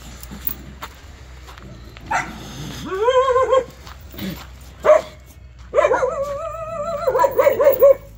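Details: Jindo dog named Cheondori, tied up outdoors on a cold day, gives drawn-out whining yelps, tonal and wavering, some rising then holding steady, in several separate bursts with short pauses between them.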